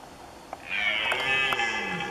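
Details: Single long red deer roar from the 2019 Polish rut, a steady harmonic bellow of about a second and a half that fades gently at the end, with light background noise before it starts.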